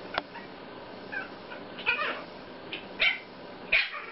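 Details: Puppies yipping: about five short, sharp, high yelps scattered over four seconds, separated by quiet gaps, with faint background noise.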